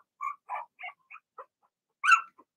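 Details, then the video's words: Young Blenheim Cavalier King Charles Spaniel puppies from Remy's first litter of six in the puppy pen give a string of short, high squeaky yips, a brief pause, then one louder, sharper yelp near the end. "Cavalier Puppies Bark, Howl"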